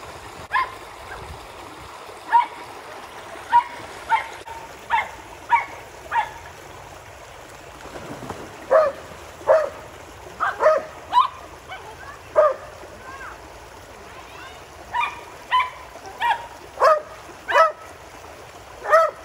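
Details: Border Collies Junior and Zeru playing in a pool with a Springer Spaniel and a poodle: sharp barks, singly and in quick pairs or triplets, repeated throughout, with trickling water in the background.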